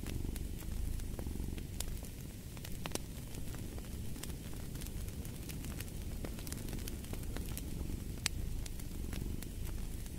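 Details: Cat purring in a low, even rumble with slight rhythmic swells, accompanied by the dry popping and crackling of a fireplace fire.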